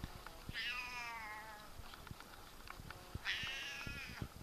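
A Siamese cat gives two long, loud, wavering meows, each falling slightly in pitch.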